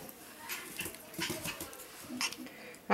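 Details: Five-week-old male Pomsky puppies from Winter and Dash's litter, indoors: a few short, soft whimpers rise under a person's chatter, ending in a brief louder burst.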